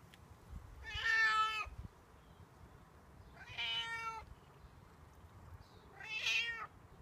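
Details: Outdoor stray cat meowing for milk or food, part of its daily morning and evening routine; three drawn-out, harmonic-rich meows spaced about two to three seconds apart over faint low background hum.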